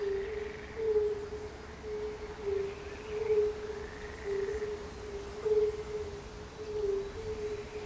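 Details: Fire-bellied toads give soft, mellow hooting notes in a steady chorus with frogs at a palace pond in Bukowiec near Jelenia Góra, Rudawy Janowickie, Western Sudetes, Poland, 20 May 2019.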